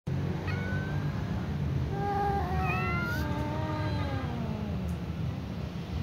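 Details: Domestic tom cat meowing at a ginger cat, more slowly than usual: one long drawn-out meow with harmonic bands, wavering and slowly falling in pitch over about four seconds, after a brief shorter note, against low background rumble.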